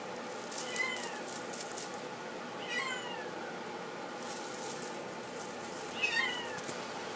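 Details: Faint, short, high mews from a male flame point Himalayan kitten, three spaced calls across several seconds against a constant room hiss.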